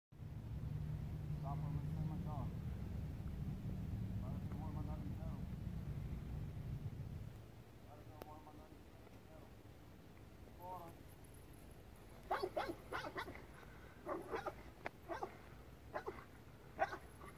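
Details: A trained KNPV police dog doing a bark-and-hold exercise gives bursts of loud, sharp barks after a stretch of engine rumble.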